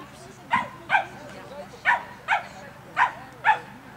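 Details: Cavalier King Charles Spaniel at an agility course, giving six short sharp barks in uneven bursts over about four seconds, with faint voices in the background.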